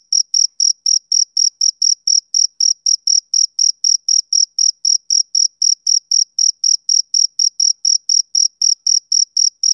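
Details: Male cricket on a summer evening repeating crisp, high-pitched chirps at a regular pace of about four each second, with no other noise present.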